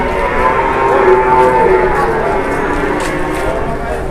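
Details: Cattle at an Indonesian market, a drawn-out moo partly buried under loud, constant crowd noise and voices.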